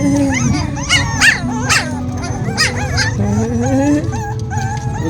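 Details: Zoey's hungry puppies crying together indoors, a chorus of long wavering whines and sliding howl-like cries, some rising, others falling, continuous for five seconds with a low background hum.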